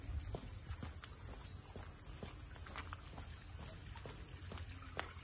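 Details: In Ine's port house townscape north of Kyoto, a cicada chorus holds one continuous, bright, hissing tone, with soft footsteps and faint low rumble underneath.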